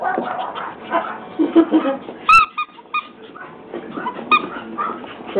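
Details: Pomeranian puppies playing in a kitchen, giving brief high squeaky yips, two sharp ones standing out mid-way, over a steady busy patter of scuffling and play noise.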